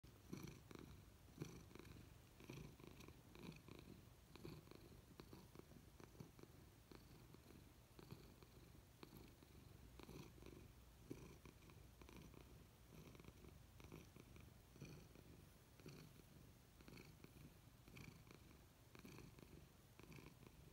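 A Nebelung cat purrs steadily, a low continuous rumble with a soft rhythmic pulse.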